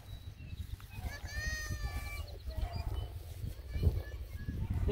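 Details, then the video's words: Beagle puppies play-fighting indoors at an Ontario, Canada breeder; thin, high whining squeals with stacked harmonics rise and waver for about a second and a half amid a steady low rumble, with a woman's voice nearby. "Abbie's BEAGLE puppies are gettin' SCRAPPY!"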